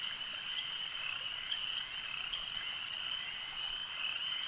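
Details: Dense high-pitched croaking of many frogs at a lake, a constant ringing trill with occasional slightly louder clicks, steady in volume over a few seconds.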